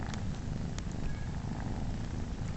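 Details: Happy purring from Momotaro, a male cat nursing three kittens that are not his: a softer, grainy low rumble holding steady, with occasional faint ticks and shuffling nearby.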